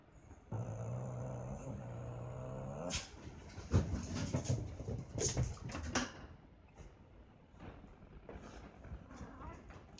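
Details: Cat fight: a steady low droning growl holds for over two seconds, then breaks into scuffling, hissing bursts and sharp thumps, followed by quieter rustling and faint whining cries.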